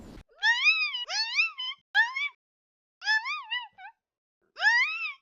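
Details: A disturbed desert rain frog (Breviceps macrophthalmus) gives shrill, wavering squeaks in short bursts, a toy-like sound that is the angry defensive war-cry of a very angry frog.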